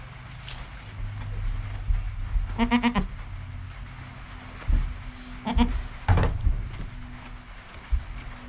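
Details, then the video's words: Goat kid Joel in his first hour of life, mother Penny nearby, captured by GoPro: three short, quavering, harmonic bleats spaced a few seconds apart over a steady low hum and rustling. "Baby Goat - One Hour Sound and Video"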